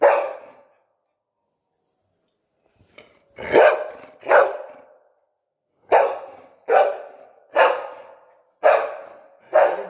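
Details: Pet Labrador Retriever barking steadily after a sit command: one bark, a pause, then about eight sharp, loud barks, each with a quick fading tail, spaced roughly one second apart.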